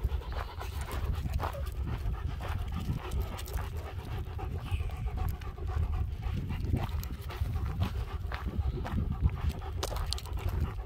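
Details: German Shepherds Nico and Zeeva on a spring walk around Hawick among bouncing lambs, filmed with a Samsung S23 Ultra: quick, airy panting breaths run throughout, partly masked by heavy low wind noise and scuffing steps.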